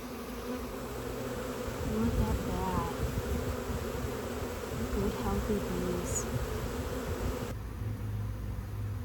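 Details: Honey bee swarm collected into a box, the bees fanning and signaling that the queen is inside; continuous low buzzing hum with faint higher whines from individual bees, quieter near the end.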